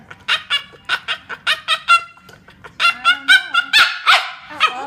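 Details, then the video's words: Funny noises from a French Bulldog: a quick series of short, evenly spaced yips and grunting calls, about four per second, with a strained, whining tone in the later bursts. "French Bulldog makes funny noises"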